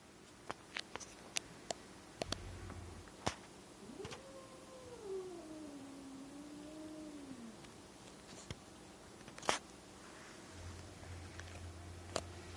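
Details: Two female domestic cats growl their disapproval at a newly adopted kitten indoors; one faint, long, wavering moan rises, then slowly sags and falls over about three seconds, with scattered clicks and soft low thumps around it.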